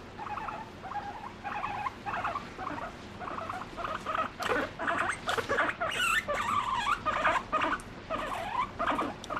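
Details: Domestic guinea pig being affectionate toward its owner, voicing emotions: rhythmic bursts of short, harmonic squeaky chuts repeated roughly twice per second, with some brief clicks and rustles between calls.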